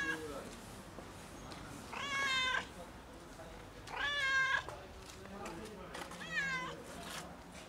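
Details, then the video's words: Loud fluffy domestic cat meowing to ask for food: three drawn-out harmonic meows about two seconds apart, each held then bending downward at the end, with soft human speech and room noise between calls. "Loudly Meowing Fluffy Cat Asks for Food"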